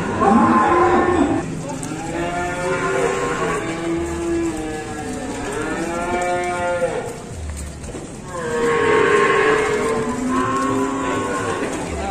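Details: Cow at an Indonesian cattle market lowing four times in a row, each moo long, loud and richly harmonic, swelling then sagging in pitch, with market noise underneath.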